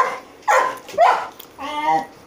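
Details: Golden Retriever dog producing three short vocal bursts about half a second apart, the last longer and more tonal, in a quiet indoor setting with a man speaking briefly nearby.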